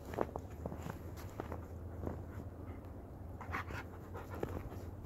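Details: Dog panting on a witching-hour snow hike under a Blue Moon, 31 March 2018, Mississippi River valley, with Blue Bay Shepherd Kurgan and German Shepherd Lobo; quick, steady breathy pants over soft footsteps and a few sharp clicks.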